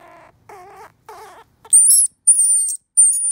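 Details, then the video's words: Baby squirrel, an orphan, calling for its mother: three short, wavering, harmonic cries, then three very high, thin, whistled squeaks, each under half a second, with no other sounds. "Baby Squirrel Call"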